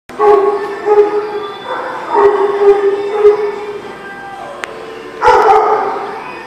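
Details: Dog barking, a run of several tonal, slightly drawn-out barks in close succession, then a pause and one louder bark near the end, with background noise throughout.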